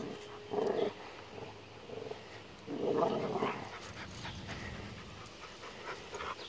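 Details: Bullmastiff Athena, eight months old, roughhousing in a yard with Cooper, a three-year-old Rottweiler and American pit bull terrier mix; two loud, voiced growling bursts, the first short and the second longer, over steady low scuffling and background noise.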